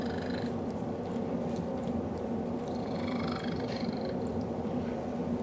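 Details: Male domestic cat purring while snuggling with a dog, a steady low rumbling purr throughout, with faint higher whining tones over it.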